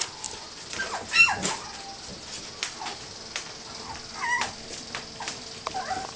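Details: Playful puppies at romp, scattered thin whines and brief yips between quieter gaps, a few sharp squeaks rising above a low background hum.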